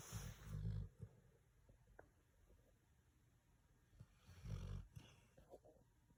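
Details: A red-nosed pit bull asleep indoors, snoring: low, rough rumbling snores in short bursts, about one second long, separated by quiet breathing pauses of a few seconds.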